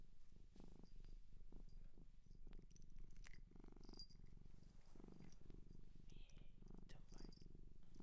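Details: Shelter-adopted cat in Japan purring close up for ASMR: a steady, low rumbling purr pulsing rapidly in and out, with faint scattered clicks and rustles above it.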